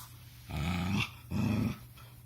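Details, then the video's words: A puppy making odd low rumbling noises, likened to a purr or pig grunts: two throaty, low-pitched growly bursts of about half a second each, separated by a short pause, in a quiet indoor room. "Kuma makes weird noises! Is this a purr or maybe pig noises?"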